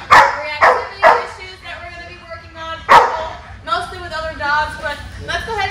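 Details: Eight-month-old Belgian Malinois in training, reactive mostly toward other dogs; several sharp, loud barks in a quick burst at the start, another bark near three seconds, then a man talking over quieter harmonic whines and yips.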